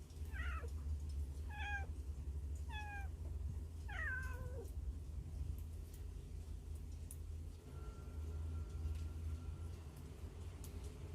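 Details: Hungry baby cats hidden inside a hole, filmed on a Samsung Galaxy Note 9: four high, thin meows, each sliding downward, come roughly once a second, then fade, leaving a steady low rumbling hum.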